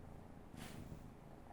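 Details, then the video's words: Pampered house cat reacting to its name being called, purring in a continuous low rumble, with a short breathy noise burst partway through. "My pampered cat makes unusual sound when I call its name"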